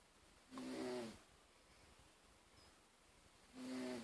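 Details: Sleeping male cat named Darcy snoring, a rough breathy snore with a faint low hum lasting about half a second, then near silence before a second snore begins at the end.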